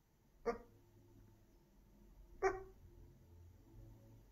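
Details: A dog barking in its sleep indoors: two short, soft, muffled woofs about two seconds apart, low-level and otherwise quiet room.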